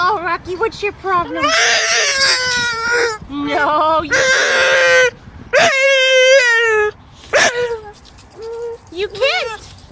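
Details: Male English Bulldog crying to get to the greyhounds beyond a fence: warbling, moaning whines rising and falling, a long steady cry near the middle, mixed with a man talking to him and short yelps near the end.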